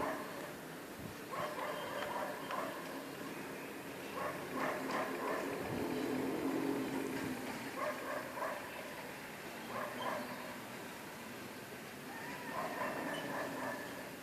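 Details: Dogs barking before sunrise, heard from a distance: short bursts of several barks come in loose clusters every few seconds across the recording, set against a steady broadband hiss and low background rumble.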